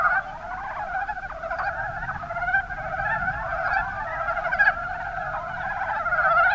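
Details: Many mountain brown frogs (Rana ornativentris) calling in the Kuma Basin of Kumamoto, Japan: overlapping rapid, rattling croaks form a steady chorus, with a few sharper individual calls standing out.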